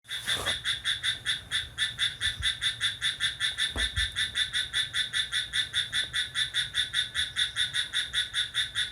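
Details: A cricket chirping lively at midnight on July 6: a steady train of rapid, high, ringing pulses, about five per second, continuing through the clip over a faint low hum.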